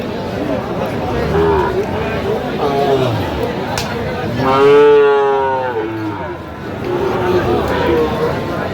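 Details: Sahiwal bull calf at a cattle market, bought by a farmer from Noakhali, Bangladesh, on 27/8/25; one drawn-out, harmonic moo lasting about a second mid-clip, surrounded by market chatter, bargaining voices and background music.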